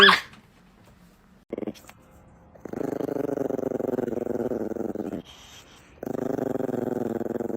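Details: Angry Chihuahua growling indoors: a low, rough, steady rumble held for about two and a half seconds, a brief pause, then a second sustained growl of similar tone. A short sharp noise opens the recording, and the background is otherwise quiet.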